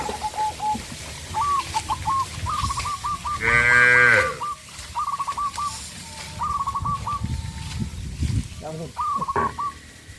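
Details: Cattle on a traditional village farm, running in fear into the forest: one loud, harmonic-rich moo of about a second, amid steady rapid trilled bird calls repeating throughout, with short bursts of noise.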